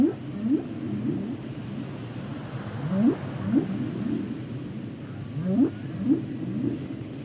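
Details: Humpback whales producing short upswept whoops in loose pairs, about two dozen per minute, with softer grunting notes between them over a low rumbling underwater background.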